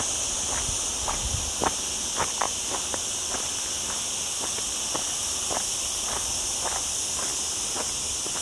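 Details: Cicadas in full chorus among olive trees on a mountain hike in the lower Sierra Llana near a town, on a cloudy day in a very hot week: a steady, high, hissing drone without pause, over crunching footsteps.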